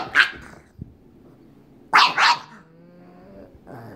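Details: Pug Waddles, still wanting to play with fellow pug May: a sharp bark at the start, a quick double bark near two seconds, with low rumbling growls and whines between.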